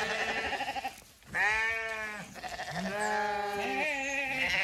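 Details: Zwartbles ewes in County Kilkenny, Ireland, filing out of the long acre before Sunday sunrise on a regenerative farm. Several long, quavering bleats of differing pitch follow one another, with a short quiet gap early on.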